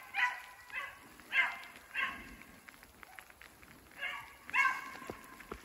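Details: Two beagles, brother and sister, trailing a snowshoe hare that circles in woods, through fresh snow, sleet and rain: loud ringing bays in quick bursts, about seven across a few seconds, with pattering rain behind.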